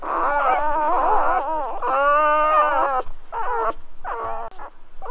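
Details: Several newborn Golden Retriever puppies whining together at birth: overlapping wavering squeals forming a continuous chorus for three seconds, then separate short cries, with low thumps underneath.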